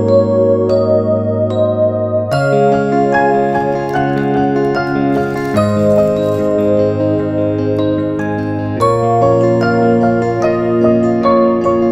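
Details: Gentle electric piano and glockenspiel-like music plays steadily, with sustained chords and bright chiming notes and no animal voices heard.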